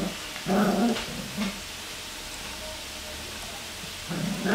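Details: Black Cocker Spaniel puppies, three playing together, give short harmonic growling yips in two bursts near the start and again at the end, separated by a quieter stretch of room hiss.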